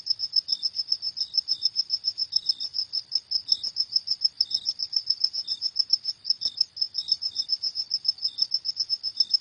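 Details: Night-time cricket song: quick, evenly repeated shrill pulses, roughly three to four each second, joined now and then by a fainter, slightly lower chirp underneath.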